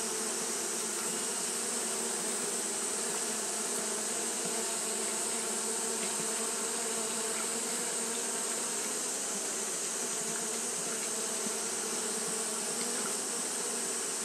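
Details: Japanese honey bees fanning their colony all through a hot day; a dense, continuous buzzing hum with steady low tonal bands, overlaid by a constant bright high-pitched hiss.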